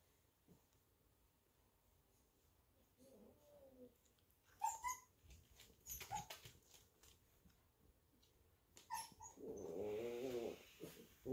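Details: Golden Retriever puppies cuddling in a puppy pile make soft, wavering whines and short high squeaks, with a longer drawn-out whimper near the end, amid shuffling and rustling.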